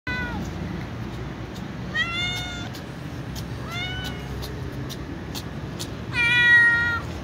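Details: White cats meowing impatiently for food: four clear harmonic meows, each rising then falling, roughly two seconds apart, the last one loudest and longest, over a low steady background hum.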